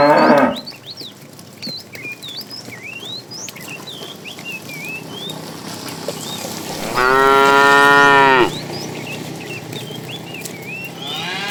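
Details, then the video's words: Cows wandering along a road looking for food; a brief moo fades at the start, then a sustained, resonant, evenly held moo of about one and a half seconds, with steady bird chirps and whistles behind. "Funny cow sounds"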